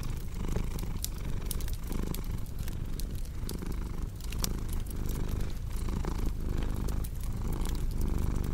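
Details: Cat's low continuous purr, its rhythm rising and falling in breath cycles just under a second apart, with a crackling fireplace adding scattered dry clicks and pops throughout.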